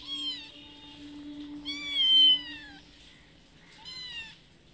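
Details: Mother cat of a small kitten, visiting a house twice a day to be fed, meowing to ask for food: three drawn-out, harmonic meows, the middle one loudest and falling in pitch, over a steady low hum.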